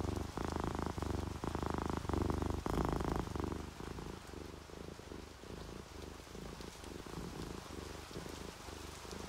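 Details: Purring from drowsy, relaxed house cats, an orange tabby and a calico; deep rhythmic rumble loud for the first few seconds, then settling into a quieter, faster flutter of pulses, light rain hiss throughout.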